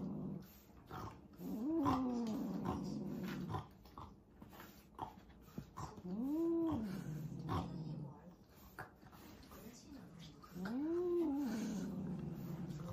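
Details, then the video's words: Domestic cats fighting: three drawn-out, low, wavering yowls, each rising then falling, spaced about four seconds apart, over a steady background hiss with scattered knocks and clicks. "Cat Fight Compilation Video"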